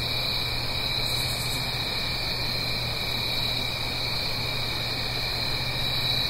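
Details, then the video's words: Steady high cricket trilling fills an autumn night in the Blue Ridge Mountains, a fainter lower tone beneath it, with the continuous wash of a stream below and a low background hum. "Autumn Crickets - 9-Hour Sleep Sound - Fall Cricket Song"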